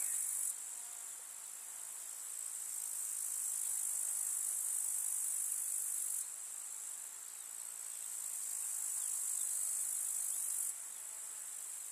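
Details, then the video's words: Steady high, sizzling stridulation of grasshoppers in a summer meadow, a constant dense chorus whose loudness shifts abruptly in blocks, softer near six and eleven seconds. "КУЗНЕЧИКИ. Слушать звуки летнего луга"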